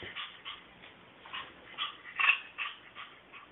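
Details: Female Brussels Griffon puppy, playful and excited during exercise, giving a rapid series of high, strained whimpering yips, about three per second, with one louder squeal midway.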